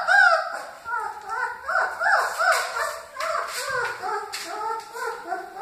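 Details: Litter of Great Dane puppies whimpering together, many short arched whines rising and falling, overlapping one another without pause, with sharp clicks and rustling underneath.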